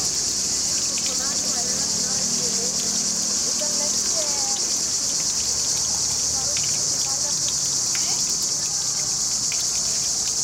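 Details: Cicadas fill the air with a steady, high-pitched shimmering buzz over softly running water from a fountain in a river under trees.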